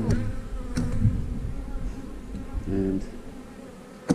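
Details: Steady low hum of honey bees at an eight-frame hive, a constant drone with a few sharp knocks and taps, and a short stretch of faint voice midway.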